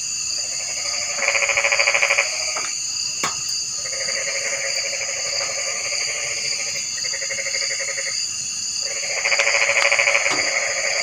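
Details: Frogs calling in rattling, rapidly pulsed bouts of one to two seconds, with gaps of quieter calling between, set against a steady high-pitched insect-like drone throughout.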